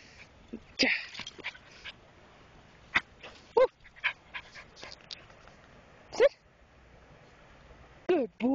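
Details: Keeshond puppy Espin rough playing: short high yelps and whiny squeals at irregular intervals, the loudest near the start, middle and end, with scattered soft clicks and scuffling between them.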